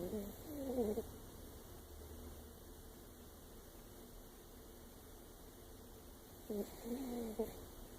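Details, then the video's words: Sleeping older chihuahua named Lexi gives two quiet, wheezy snores, one at the start and another about six seconds later, over a low steady hum. "Our older chihuahua Lexi snoring"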